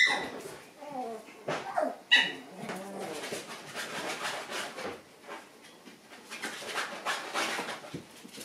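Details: Several Shiba Inu puppies, still lively and playing after the lights go out indoors; sharp high yips and squealing whines open the clip, followed by scrabbling noise, with a human voice faintly mixed in.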